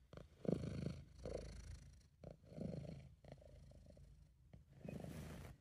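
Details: Purring British Shorthair cat named Sabu, relaxed and content; a low, rough rumble in uneven swells of a second or so, with breathy, noisier passages and a brief hiss-like burst at the end.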